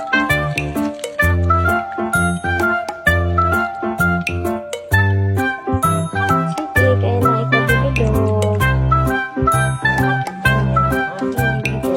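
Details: Cheerful jingling instrumental music with bell-like tones and a steady bass beat, with no animal sounds.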